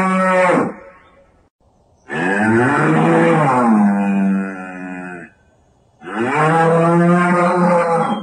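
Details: Banteng giving deep, cattle-like lowing calls, which sound rather like a domestic cow: a short moo, then a long drawn-out bellow of about three seconds, then another sustained moo, all richly harmonic with quiet gaps between.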